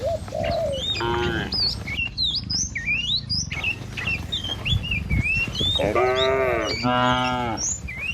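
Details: Cattle herd driven by a herder along a village road among trees and rice fields; several drawn-out, harmonic moos near the start and two louder overlapping moos toward the end, with busy chirping birds throughout.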